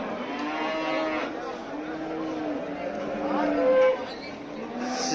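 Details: Simmental fattening bulls in Turkey low in short, moderate moos, several overlapping, with faint background voices and a brief louder tonal call near the end.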